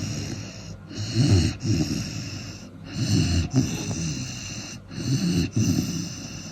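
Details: Four-month-old Cane Corso puppy asleep, snoring loudly in rough, low, rattling breaths that come in paired bursts roughly every two seconds, with a steady high hiss behind.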